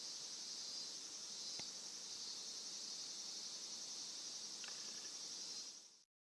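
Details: Cicadas drone in a constant, piercing hiss, sound that makes a pet Somali cat stand upright along with crows; a single sharp click interrupts before the recording cuts to silence at the end.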